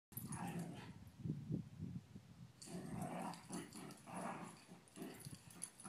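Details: Dogs playing together to check that they still get along before a sleep-over; low rumbling growls in short bursts throughout, with a brief gap near the middle and scuffling noise.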